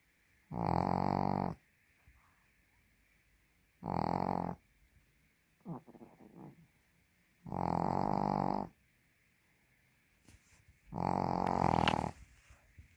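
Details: Pekingese dog sleeping soundly and snoring loudly: four long rasping snores, each about a second long, come every three to four seconds with quiet breaths between, in a quiet room.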